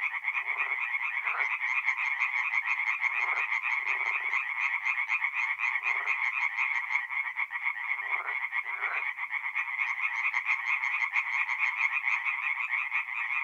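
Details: Night chorus of tree frogs at a forest pond in north-east Italy during mid-April: continuous rapid nasal croaking from many frogs, with a few lower, softer croaks breaking through now and then.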